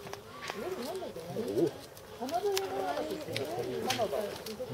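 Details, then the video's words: North American porcupine at Saitama Children's Zoo, Japan, filmed March 2017, giving a continuous whiny cry: wavering, voice-like moaning tones that rise and fall in overlapping loops, with soft background noise. "カナダヤマアラシの鳴き声 Crying Canadian porcupine"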